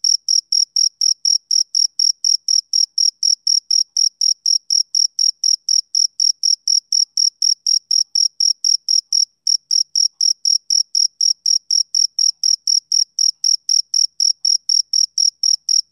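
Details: Male cricket calling on a summer evening: rapid shrill chirps around four per second, steady and metallic, with one brief gap midway and nothing else heard.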